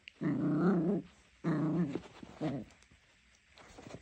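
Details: Three-month-old Jack Russell Terrier puppy, teething, playing tug of war with socks: low, rumbling growls in three bursts, two long and one short, indoors with faint rustling between them.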